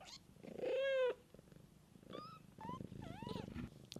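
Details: Cat mother tending kittens in the wild: one loud, level meow lasting half a second, followed by a rough, pulsing purr and quieter, wavering high mews from the kittens.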